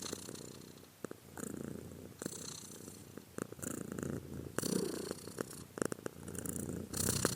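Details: Domestic cat purring, a soft rough low rumble in uneven bursts with brief clicks and rustles between them.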